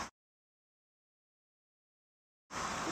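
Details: Almost total silence, broken only by short bursts of broadband noise at the very start and the end.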